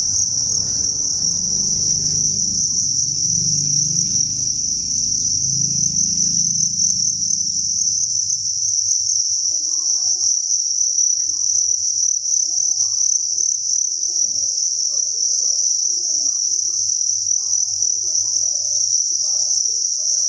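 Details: Crickets in a cricket farm produce an even, high shrill wall of chirping; a low rumbling noise sits under it for the first eight seconds, then gives way to faint scattered murmurs.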